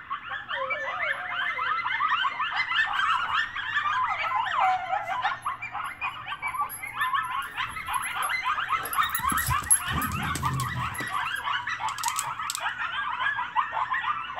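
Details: A coyote pack very close outside a house howls and yips in a dense, wavering chorus of overlapping high voices, possibly set off by sirens; dogs howl along, and the coyotes stop once a dog joins in.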